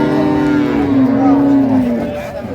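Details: Improved-breed dairy cow at Ambari haat livestock market, Dinajpur, recorded 9/3/25 among cows and calves for sale: a long, low, steady moo lasting about two seconds that sags slightly in pitch at the end, with traders' voices around it.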